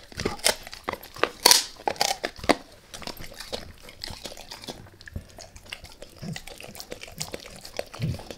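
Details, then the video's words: Max the dog chewing a beef rib, recorded close for ASMR without talking: a burst of loud, sharp crunches in the first seconds, then softer, sparser bites and licking-like clicks. "Max Eats | Beef Rib | ASMR DOG EATING"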